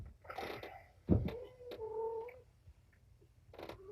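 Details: Young domestic kittens from Patience's litter of five, four males and one female, being cleaned and given antibiotic eye ointment indoors in the afternoon. Handling rustles and a thud lead into a thin, steady, high mew held for about a second, then a brief cry.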